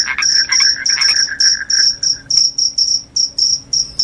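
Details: Shrill cricket chirps, each a brief high buzz, repeated roughly twice a second with uneven gaps; a softer lower pulsing trill fades out halfway through.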